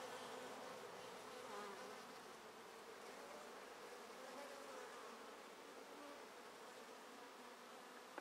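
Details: Honey bees swarming around the entrance of a top bar hive with sealed queen cells and heavy drone traffic; an even, dense buzzing drone of many wingbeats, a sharp knock at the end.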